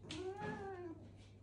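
A Siamese cat gives a single drawn-out meow that rises and then falls away.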